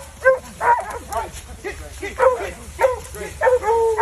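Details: Several dogs at an outdoor field trial in North Carolina after catching a coyote, giving rapid overlapping yelps and barks, some drawn into short bawling howls, with a steady low engine-like hum beneath.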